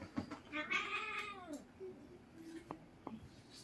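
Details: Noisy wrestling between Siamese cats at home: one wavering, arching yowl of about a second, then quiet scuffling with a few faint clicks.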